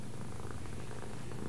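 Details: Continuous low, pulsing purr from a domestic cat said to understand left and right, even and unbroken across the whole moment, recorded indoors without other clear sounds.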